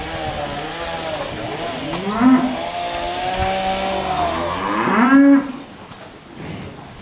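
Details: Dairy cows in a corral: one long, drawn-out moo with rich stacked harmonics that bends and wavers for about four seconds, swelling to two louder peaks, over a steady mechanical hum.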